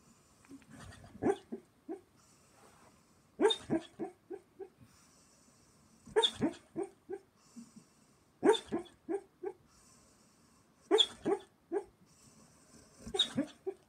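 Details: German Shepherd named Ruby dreaming in her sleep, making muffled yips and soft woofs in bursts roughly every two to three seconds, each burst a quick cluster of short sharp sounds, with quiet breathing between.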